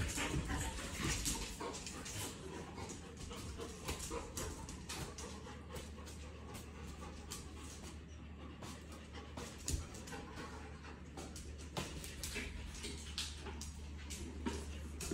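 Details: Dogs in a puppy group joined for half a day by Kiko, a visiting Australian Shepherd, recorded 12-5-2023; fast, uneven panting, roughly 220 breaths a minute, over a steady low hum with occasional knocks.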